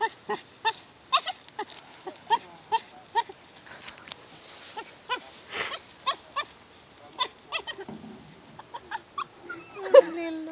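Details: Dog making playful sounds while playing with a stone, a series of short whiny yelps and grunts repeated roughly every half second, with a higher drawn-out whine near the end.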